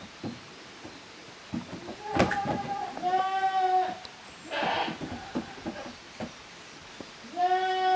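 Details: Young goat kids, offspring of Koharu and Okayu, playing in two teams in the exercise yard at Yoshigake's handmade goat farm, Japan, 13 June 2023. Three wavering, harmonic bleats, the longest about a second, between bursts of hoof clatter and knocking.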